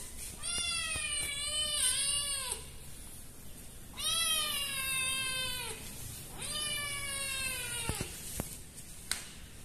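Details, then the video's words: Scared kitten crying behind a door in Indonesia: three long, strained meows, each about two seconds, slightly falling in pitch and steadily repeated with brief gaps, followed by a few sharp clicks. "Found A Kitten Behind The Door Crying in Fear."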